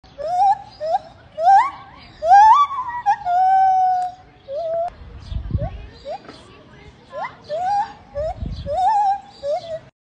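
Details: Valentino, a zoo gibbon at Tanganyika Wildlife Park, sings in a chorus of loud, hooting notes that swoop up and down in a rising, wavering series.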